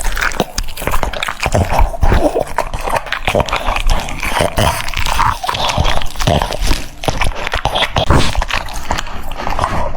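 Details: Cucumber eaten by a French Bulldog: busy wet crunching and smacking bites, closely packed, with a few faint whimpery tones mixed in.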